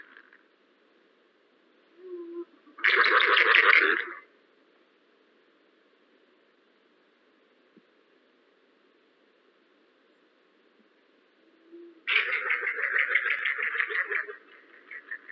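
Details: A wild yellow-bellied glider recorded by forest ecology staff in New South Wales gives two rough, throaty gurgling shrieks of a second or two each. Each opens with a faint low note, over a steady background hum.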